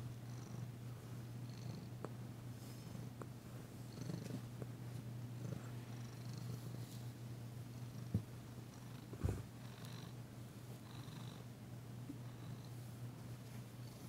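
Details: Danci, a female cat still tentative after arriving, purrs softly during a massage indoors. The continuous low drone holds steady, broken by a couple of brief knocks and light rustling of hands on fur.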